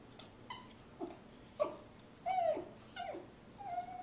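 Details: Miniature Poodle crying while attacking a toy fox, urged on by a person, with other pet dogs nearby: thin, high whimpers and squeals, some rising then falling, about seven short cries in four seconds.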